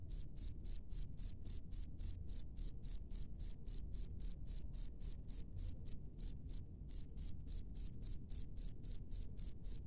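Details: A cricket in the wild chirps in a rapid regular rhythm, about four high, piercing pulses per second, broken by one short skip near the middle, over a soft distant low hum.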